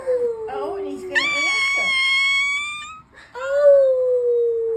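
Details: A 2-week-old ginger male Siberian Husky puppy gives thin, drawn-out, high-pitched howls amid yawning.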